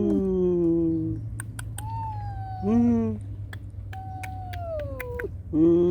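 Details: Domestic cats: a mother guarding her kittens against an intruder and kittens crying for her. Low, harmonic-rich drawn-out cries open and close the passage, with long, steady, higher wailing tones falling at their ends between them, over a low room hum and scattered clicks.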